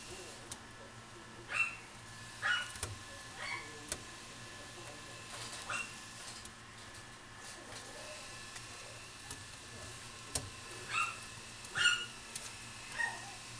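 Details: Male Shiba Inu puppy in a pet shop in Kuwana gives short, high, whimpering yelps in scattered clusters, a few quick cries together then pauses, over a steady indoor room hum.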